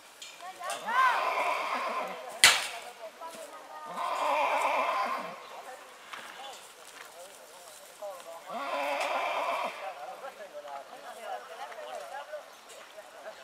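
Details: Purebred horse neighing in spring: three long, harsh whinny bursts near one, four and nine seconds, the first with a falling tone, plus a sharp knock just after two seconds and low background noise.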